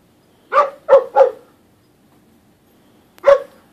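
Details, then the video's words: Dogs at play at Pet Angels: a quick run of three sharp barks, then a pause and a single bark, each harmonic-rich and clipped short, over a quiet, steady background hum. "Dogs at Play"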